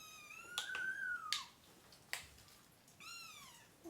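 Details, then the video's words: Baby kitten crying while placed in a clean box to be weighed during deworming of a mother cat and three kittens; a long drawn-out meow, sharp clicks and taps, then a second descending meow. "Too MANY Crying Baby Kittens!"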